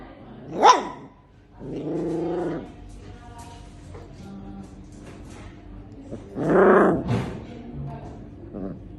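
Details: A Siberian Husky puppy, while biting in play, gives a sharp yelp, a low growly grumble, then a longer whining bark.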